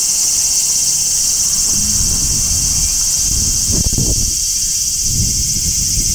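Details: Midsummer chorus of large brown cicadas shrilling continuously near a tree, an even, piercing high hiss throughout, over low rumbling background noise with a brief knock near the middle.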